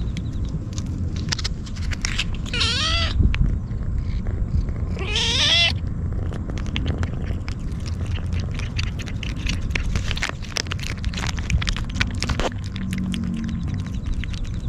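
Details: A hungry stray kitten keeps crying while devouring Churu treats and Sheba food: two wavering, quavering meows near the start, followed by a long stretch of wet chewing and clicking noises against a constant low hum.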